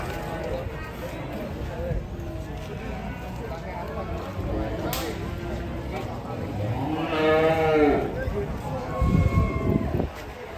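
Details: Fat cattle during a failed loading attempt: a drawn-out harmonic moo swells and bends near the end, over a steady murmur of men talking and general handling noise.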